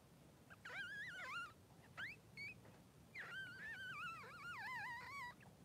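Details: Three-day-old Blenheim Cavalier King Charles Spaniel puppies, two newborn boys of mother Pom-Pom, in a puppy pen; high, wavering whines rise and fall in two long bursts with a short squeak between, over quiet room hiss.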